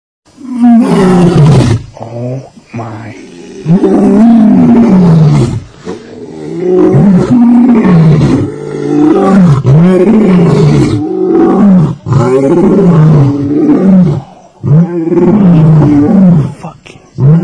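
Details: Lion and lioness during mating: loud, deep, rasping roar-growls in long bursts, each swelling and falling in pitch, repeated roughly every two to three seconds with short gaps between.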